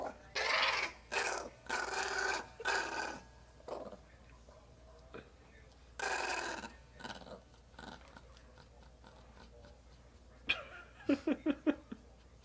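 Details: Excited pet chihuahua getting riled up indoors: several harsh, noisy growl bursts about a second apart, then quieter sounds, ending with a quick run of short, sharp yips near the end.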